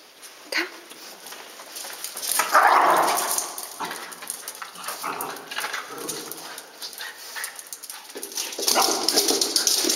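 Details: A dog gives a soft, breathy whimper just before the three-second mark, with scuffling, rustling and faint voices around it.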